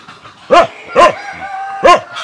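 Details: Hungry small puppy giving three sharp, arching yips, roughly half a second apart and then after a longer pause. A faint, steady whining tone runs between the yips.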